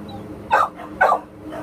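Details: American Pit Bull Terrier available for adoption at a shelter barking; two short, sharp barks about half a second apart over a steady low hum.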